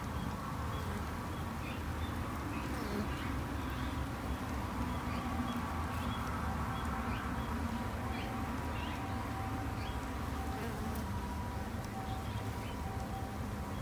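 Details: Japanese honey bees at a beginner's backyard hive, kept as a conservation effort; a constant low hum underlies repeated short bird calls in the background.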